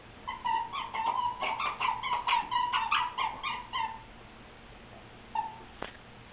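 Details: Golden Retriever puppy Autumn, a rescue dog, playing with toys: a rapid run of high, whiny yips and whimpers, about two per second for nearly four seconds, then a pause, one more short whine and a sharp click.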